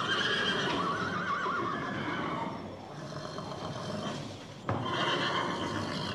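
A horse gives a loud, shaky neigh that wavers up and down, then whinnies again after a short pause.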